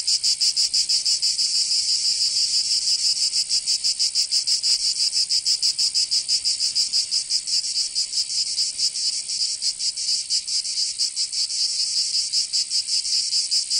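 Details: In Provence, southern France, summer cicadas keep up a dense high-pitched sizzling buzz with fast, somewhat uneven pulsing, a continuous wall of insect sound and nothing else heard.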